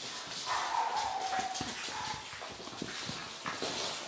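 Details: Pug puppies: a thin, high whine slides gently downward for about a second, then a shorter faint whimper follows, over a backdrop of soft rustling and scattered clicks.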